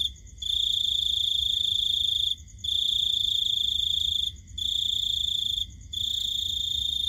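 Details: Night-time cricket song, shrill and continuous, running in sustained bursts of about one and a half to two seconds separated by brief gaps, over a soft low rumble.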